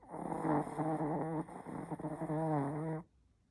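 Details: Sleeping Chihuahua snoring: a drawn-out nasal, whistly snore with a wavering tone, lasting about three seconds before stopping.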